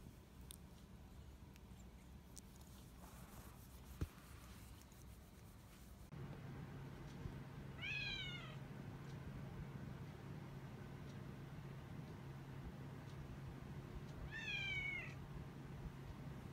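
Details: An orange tabby cat, the eldest of the household and a former stray of three years now kept indoors, seeking affection from a younger cat: two drawn-out, falling meows about six seconds apart over a steady low hum.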